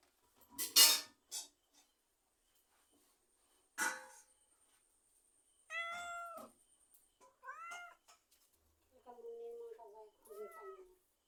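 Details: After a couple of sharp clicks and knocks, a cat lets out several short, arched meows, rising then falling in pitch, spaced a second or so apart, the last ones softer and lower.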